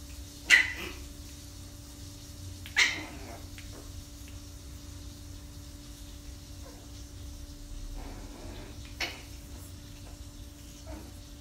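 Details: A 45-day-old female Shih Tzu puppy, in her first days at a new home, gives a few short, high-pitched yapping barks spaced seconds apart over a steady low hum.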